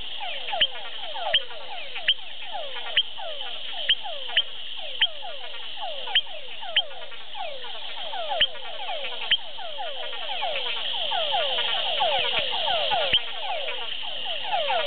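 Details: Leptodactylus wagneri frogs calling in Hato Masaguaral, Guarico, Venezuela; a dense chorus of short downward-sweeping notes repeated rapidly and overlapping, with sharp clicks roughly every second and a steady background buzz.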